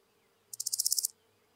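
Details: Large Gold Grasshopper song from Hirschau, Germany, 26 July 2019: a half-second burst of about nine fast, dry, high rasping pulses, evenly spaced, with a faint low hum underneath.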